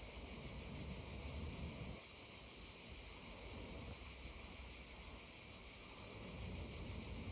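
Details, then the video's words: Droning cicadas by a babbling stream: a constant shrill buzz with a faint rapid pulsing runs the whole time, layered over a broad low rush of flowing water. "溪聲蟬鳴2(原音), babbling stream and droning cicadas 2"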